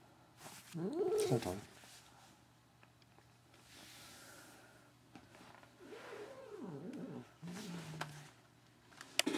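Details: Katherine, a pet cat, makes strange sounds while having her ears rubbed: two bursts of wavering, harmonic mewing, the first near the start and a longer one later, with a quieter low murmur between them.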